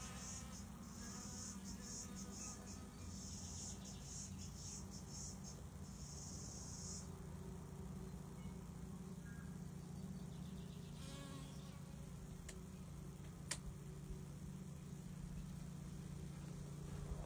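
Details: Honey bees at a watering hole, about 115 visiting every 30 minutes, make a steady, low droning buzz of many wings humming together in an unbroken chorus.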